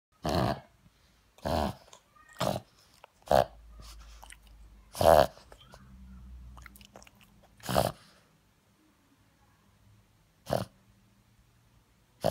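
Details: A Boston Terrier with a cold snorts in short, breathy bursts spaced unevenly a second or two apart.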